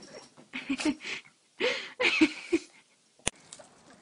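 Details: Pug giving a run of short, wheezy, snorting bursts over roughly two and a half seconds, each rough and breathy with a nasal edge, followed by a pause and a single sharp click near the end.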